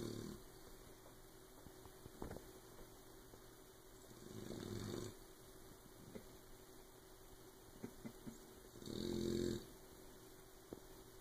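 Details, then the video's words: Oberon, a sleeping puppy, snoring so loudly that Tyson can't sleep; two long, low, rasping snores about five seconds apart, with faint clicks and small rustles between them. "Snoring puppy"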